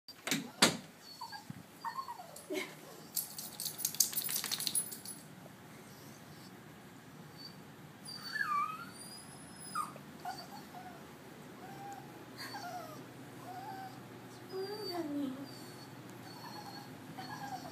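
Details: Bichon Frise dog crying indoors on the Fourth of July, around fireworks time, with high thin whimpers that rise and fall in several short bursts in the second half, among clicks, knocks and household noise.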